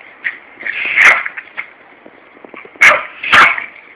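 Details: Larry, a Yorkshire terrier, goes after a hosepipe in a Corby garden amid a summer heatwave. Three sharp, high barks sound, one early and two close together near the end, separated by soft yips over a steady hiss.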